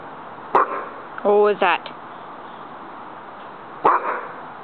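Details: Jango, a nine-month-old Rottweiler in a backyard sand pit, gives an alert bark as a roommate comes home from work, practising the "What's That?" command. Two sharp barks about three seconds apart, with a short tonal voiced sound between them and steady background hiss.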